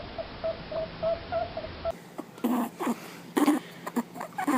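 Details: A rabbit makes soft, high squeaks, then short grunting whimpers in quick irregular bursts, labelled as communicating.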